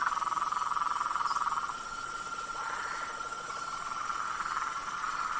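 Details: Blacksmith tree frogs calling in a swamp at night: a dense chorus of rapid, mid-pitched pulsed notes, about four per second, loudest in the first two seconds and then softer and more blurred.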